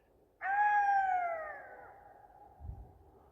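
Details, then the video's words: Wild golden jackal calling near a dump of dead sheep: one long, clear, wailing cry that starts abruptly and slowly falls in pitch over about a second and a half, then fades, leaving quiet surroundings. "гавкає шакал"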